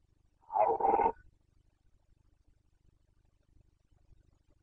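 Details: Carpathian stag of Bucovina, Romania, calling in the 2021 breeding season: a single harsh, harmonic roar of about half a second, then near silence with a faint low rumble.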